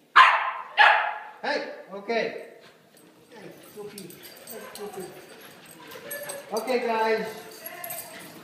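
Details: Playing puppies let out four sharp, high yapping barks in quick succession over the first two seconds. Softer, lower whining and murmured vocal sounds follow, with human voices mixed in toward the end.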